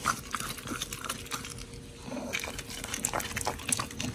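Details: Pit bull dogs Oli and Nommy eating raw giant white snapper, recorded 21 October 2023; rapid moist chomping and slurping in quick succession, dense and unbroken.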